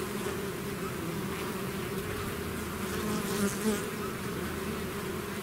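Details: Bee swarm out of its hive: a dense, steady drone of many wings, low hum bands layered around the low and middle pitches, with brief brighter whines of single bees passing close near the end.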